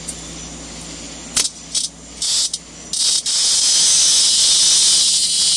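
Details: Cicada at night on a balcony, drawn by a porch light left on for a pet cat, Minerva, to play with bugs; a few short harsh buzzy bursts break into a loud, steady, high rasping drone, over a faint low hum.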